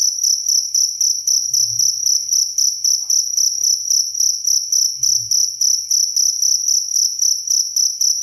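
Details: Cricket, clean recording used as birdsong master: rapid, evenly spaced shrill chirps on a high sustained tone, close to four per second, plus two faint low bumps.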